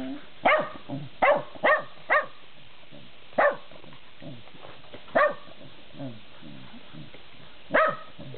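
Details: Dandie Dinmont Terrier with other dogs, giving short sharp barks in an irregular series, four quick ones in the first two seconds, then single barks spaced one to three seconds apart, with softer grunting sounds between.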